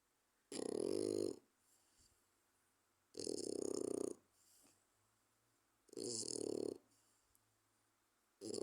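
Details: A 4-month-old French bulldog puppy snores loudly, like a human, each rasping, rattling breath lasting about a second and repeating every few seconds.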